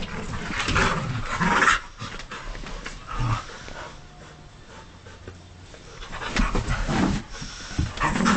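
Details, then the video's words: A wild-acting husky dog makes rough growling vocal bursts and quick panting near the start and end, with a quieter middle section of soft breathing. "Husky gone wild!"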